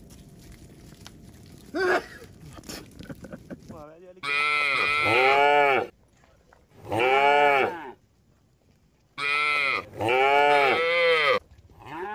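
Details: Cattle herd, tame, heading along a mining road to a green village; after faint knocks, three long drawn-out moos of about two seconds each, rising then falling, separated by quiet gaps.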